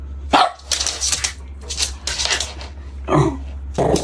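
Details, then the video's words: Puppy playing outdoors on green grass, giving a few short, sharp barks spaced irregularly over four seconds, with a steady low hum underneath. "Adorable puppy playing on the green grass - Dog Barking Sounds - Dog sound"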